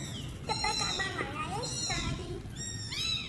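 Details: Several homeless kittens give short, high, arched meows in quick succession, with a brief pause before a final pair of clear rising-falling mews, over low background rumble.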